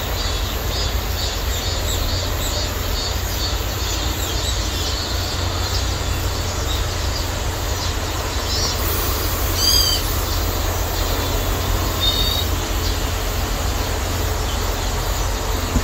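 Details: Cicadas singing in a persimmon orchard in midsummer, heard during a rest from picking chili peppers; a steady, high, shimmering buzz runs through the whole recording over a constant low rumble.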